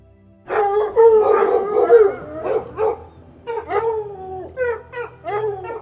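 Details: Domestic dog giving a drawn-out howling whine that bends up and down for about two seconds, followed by a string of short, sharp barks with gaps between them.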